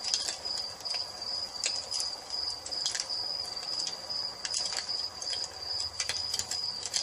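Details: Crickets trill steadily and shrilly at nightfall next to a fireplace, the sustained high note punctuated by loud pops and clusters of crackles from burning wood.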